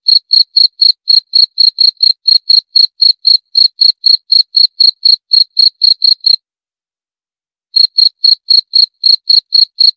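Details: Continuous cricket chirps, rapid evenly spaced high pulses about four per second, stopping for roughly a second and a half near the end before resuming; otherwise silent background.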